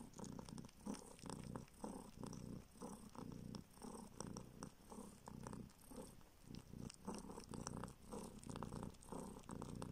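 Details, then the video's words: Young kitten taken in from the street, now in a Siberian village, purrs while suckling a finger for milk; steady low rumble in rhythmic bursts, interrupted by soft smacking and sucking noises. "Kitten SUCKS finger in search of milk!"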